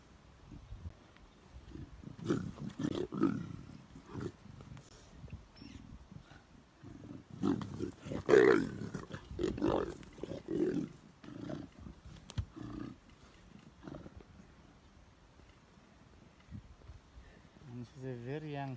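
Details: Leopard fight as a big leopard attacks and kills a smaller one that entered its territory. Rough, low snarls and growls come in bursts around three and eight to ten seconds, with people talking nearby and a voice near the end.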